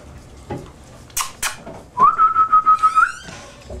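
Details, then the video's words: Beaumont, a 12-week-old Newfoundland puppy, gives a 'singing session': a steady, high whining tone held for about a second, pulsing in loudness, after earlier clatter and brief thumps. "Beaumont the Newfoundland Puppy at 12 weeks old"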